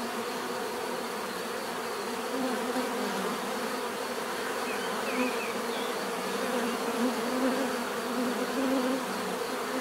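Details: Bees buzzing in a dense, steady hum with layered low droning tones that swell and fade slightly, while faint chirps of a bird flicker high above in the middle seconds.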